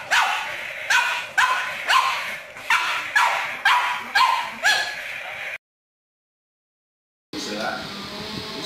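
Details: Pug barking in a steady string of loud, gruff barks, roughly two each second for five seconds, then a silent gap and a burst of muffled background noise.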